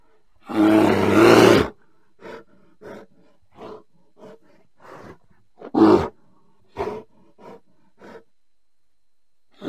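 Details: Bear with one long, harsh roar, then a run of short, quieter grunts and huffs, and a second loud roar near the middle.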